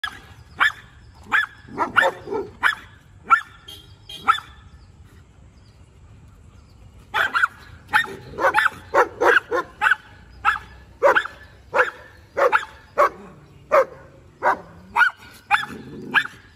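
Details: Rajapalayam dog trying to interact with another dog, giving bursts of sharp, high barks, a few then a pause, then a rapid run of barks, some with short whining tails.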